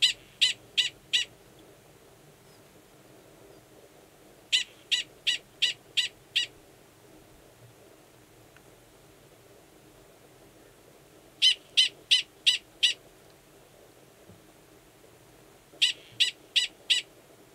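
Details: Male Gunnison's prairie dog giving a mating call near a burrow holding an estrous female, Valles Caldera National Preserve, New Mexico, March. Four bursts of about five sharp, high barks, each burst spaced several seconds apart.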